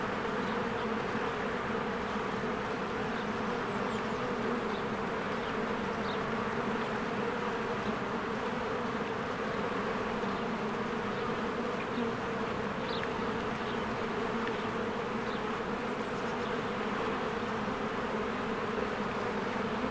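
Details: Busy honeybees streaming in and out of their hive in spring as flowers bloom: a long steady buzzing drone, dense and level, overlaid by occasional faint high-pitched bird chirps.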